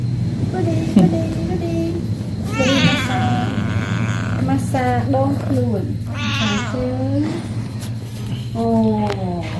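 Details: Pet cat calling while being massaged by its owner, giving several drawn-out, wavering meows over a steady low hum, with people talking in Khmer throughout.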